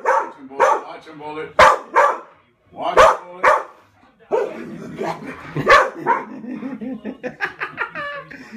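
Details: Barks from a Pit Bull during play fighting, about five loud, abrupt bursts at uneven gaps, with people talking between and under them.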